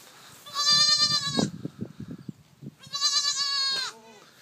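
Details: Two long, loud, quavering bleats from newborn goats, each about a second, with rustling and soft thumps of movement between them.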